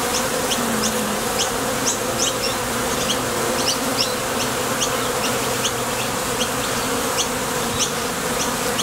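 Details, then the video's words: Honey bees flying in and out of a Top Bar Hive entrance on nectar trips, wing vibration from thoracic muscles giving a full steady drone punctuated by many short sharp high zips. "Bees Sound Effects | WHITE NOISE | RUIDO BLANCO RELAJANTE Sonido de las Abejas."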